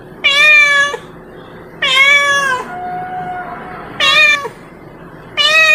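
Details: A cat calling its friends with loud, drawn-out harmonic meows, four calls spaced about one and a half seconds apart, each slightly falling at the end, over a steady low background hum.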